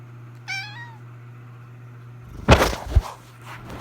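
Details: A single short falling meow from Jojo the cat indoors, followed by loud knocking and thumping noises against a constant low electrical hum.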